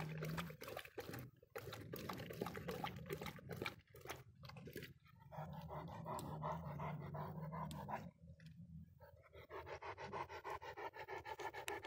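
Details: After a long walk, a dog drinks rainwater to hydrate. It makes fast, breathy, rhythmic bursts of about three per second that stop briefly now and then. Some wet lapping may be mixed into the steady puffing.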